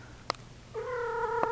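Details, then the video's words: Female Persian cat in heat giving a steady drawn-out yowl that starts abruptly after a click and holds level, indoors. "Horny Persian Cat 2"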